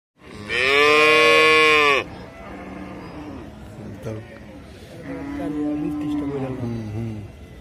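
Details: A cow gives one loud, drawn-out moo lasting about one and a half seconds. The tone is rich and harmonic and falls slightly at the end. Softer, lower murmurs and background sounds follow.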